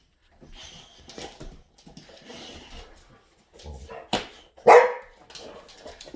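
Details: Boxer dogs in a house giving two loud, abrupt barks late on after a quiet start, with a woman's voice calmly addressing them nearby.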